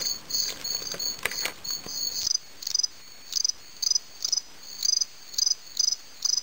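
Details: American autumn field crickets, Gryllus pennsylvanicus, fighting: scraping and rustling at first, then loud, high, pure chirps, each a quick burst of pulses, repeated about twice a second.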